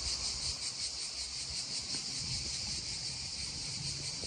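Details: Beside a babbling stream, droning cicadas keep up an unbroken shrill buzz with quick regular pulses, over the low splash and trickle of the water.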